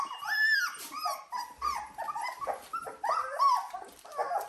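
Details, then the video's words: Seventeen-day-old Dalmatian puppies, filmed indoors within minutes of entering a fresh pen, producing high arched whines and squeals that swoop up then down, repeated in quick bursts roughly every half second, in a small room. "Dalmatian puppies day 17"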